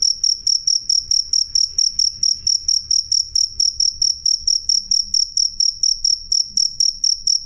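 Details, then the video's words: Cricket, known locally as jangkrik, giving a clean and loud chirping of rapid high-pitched pulses, evenly spaced at around three per second, with only a soft low background noise. "suara jangkrik jernih keras"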